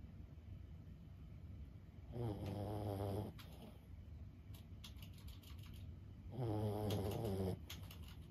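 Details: Fifteen-year-old Boston Terrier Lulu asleep indoors, giving two long, gravelly snores about four seconds apart, each a rough, buzzing rumble lasting about a second, with scattered soft ticking noises in the pause.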